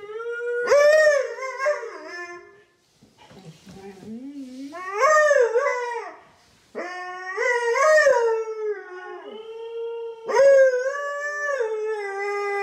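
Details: A talkative Siberian Husky howls in the morning in long, wavering, drawn-out notes while its owner howls along in a duet.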